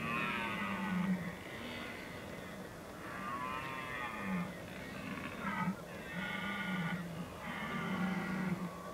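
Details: Red deer rut, Oostvaardersplassen, 15 October 2011: a series of five or six moaning roars with wavering pitch, some rising and breaking, comes from more than one stag amid low background noise.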